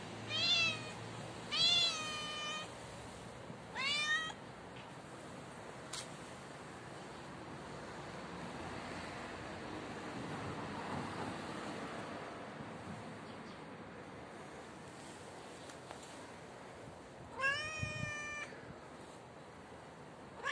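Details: Stray tabby cat on the stairs giving loud meows: three quick wavering cries at the start, then a long quiet stretch of low background hiss before one more drawn-out meow near the end.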